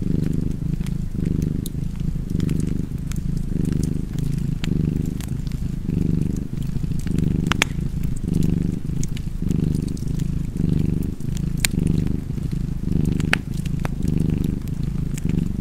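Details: Domestic cat purring steadily beside a crackling fireplace: a low rumbling drone that swells and eases with each breath, about fifty cycles a minute, while sharp pops and snaps of burning wood dot the background.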